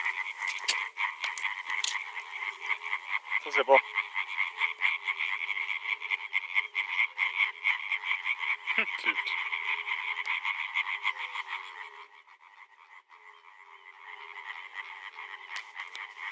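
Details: Several male European tree frogs calling together: a dense, rapid, rasping chorus of pulsed croaks running almost without pause, briefly easing off near the end before resuming, with a few quiet voices in the background.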